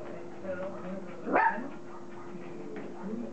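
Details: A single sharp rising yelp from one of Kim and Indi's Border Collie puppies at play, brief and loud, surrounded by soft shuffling, faint murmurs and a steady low hum.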